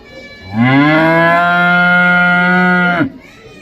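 A cow gives one long, low moo that rises briefly, then holds steady for over two seconds.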